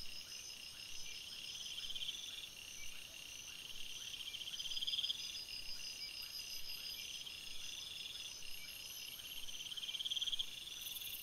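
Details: Crickets calling at night in a forest: steady high-pitched insect chorus with bright trilled bursts recurring every few seconds and soft regular chirps underneath.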